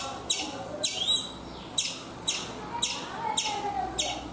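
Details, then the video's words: Chipmunk calling from a coconut tree in India: loud, high, sharp chips at uneven intervals of half a second to a second, each note dropping quickly in pitch. "Chipmunk making sounds"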